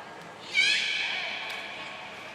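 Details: Beluga at Port of Nagoya Public Aquarium during training with Gray, Nana and Mirai, June 2022: a single wavering, rising-and-falling harmonic squeal, bright and high, that fades into the echo of an indoor hall.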